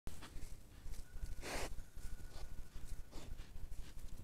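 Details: Wild boar at night giving low, rough grunts and snorts, with a sharp rustle or snort partway through.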